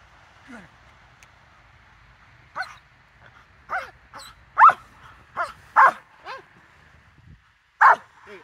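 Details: Rottweiler during a training session, September 4, 2022, held on leash after an 'out' command: scattered sharp barks mixed with high, wavering whines, with bursts spaced irregularly over several seconds and a steady low hum underneath.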